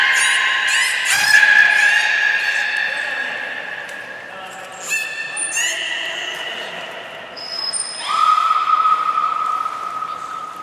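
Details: Captive belugas Nana and Niko in training at Port of Nagoya Public Aquarium, 7 October 2018, give steady harmonic tones broken by squeaky pitch jumps, a brief pulsed burst midway, and a final long, clear mid-pitched note.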